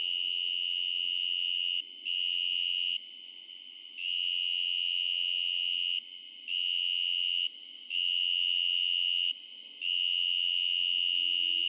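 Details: A tree cricket recorded up close at night in eastern Pennsylvania, in mid/late summer to fall, sings a loud, pure, high, constant trill in long unbroken stretches with brief pauses.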